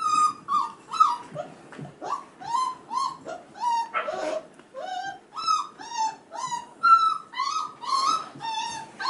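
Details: Crying male F1b Goldendoodle puppies, five and a half weeks old, heard indoors: a steady run of short high whines, each bending downward, coming about twice a second, with a brief noisy scuffle midway.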